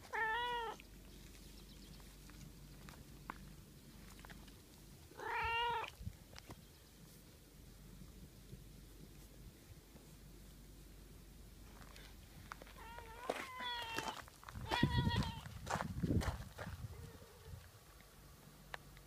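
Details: Domestic cat asking its owner for more petting, voicing short pleading meows: one at the start, another about five seconds later, then a quick cluster of several meows mixed with rustling and touching sounds, indoors.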